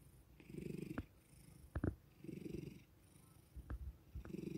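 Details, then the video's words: Male pet cat purring after being suddenly woken with petting and attention; soft low rumbling purr in rhythmic bursts roughly every second and a half, with faint clicks and rustling between. "Cat Loves The Attention (Cat ASMR)"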